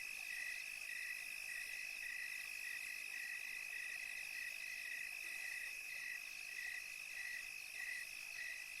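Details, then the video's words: Crickets on a tranquil European summer night chirp in short, even pulses about twice a second, over a constant high, ringing insect drone and no other sounds. "11 hours of cricket chirping sounds"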